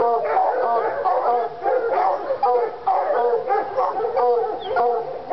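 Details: Two Treeing Walker Coonhounds, Lady and Cooper, fired up on a coon skin in North Carolina; choppy, ringing barks mixed with short bawled notes, tightly packed and overlapping from start to finish.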